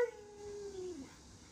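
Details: Pet Alaskan Malamute giving a short, faint tonal howl that holds steady, then slides gently downward over about a second before fading, in a quiet room.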